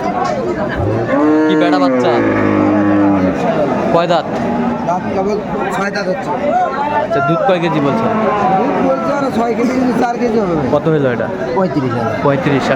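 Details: Cow with calf at Aftabganj cattle market (haat), Dinajpur, on 1 September 2024: a long, low, drawn-out moo in the first seconds, then a busy backdrop of men talking and market chatter.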